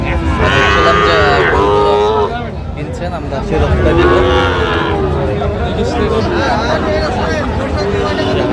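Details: Sahiwal bull calf at a crowded cattle market in Chittagong, Bangladesh, 4 August 2025, lowing twice: a long, strained moo that rises then sags, and a second shorter one a few seconds later, over steady crowd chatter and haggling voices.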